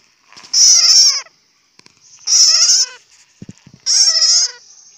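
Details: Bat crying out in three harsh, high, wavering squeals, each under a second long with a buzzy, strained edge, spaced roughly two seconds apart, with brief faint clicks between them and otherwise quiet surroundings.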